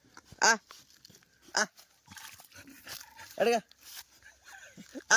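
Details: Labrador Retriever jumping into water: four short, sharp, ringing barks or yelps, spaced irregularly about one to two seconds apart, with faint voices and rustling noise in between.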